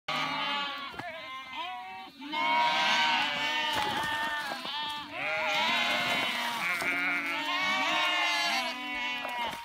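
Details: Sheep in a flock leaping over a small stream, bleating loudly and almost without pause: wavering, nasal bleats from several animals overlapping, each lasting one to two seconds, with a short break near the second second.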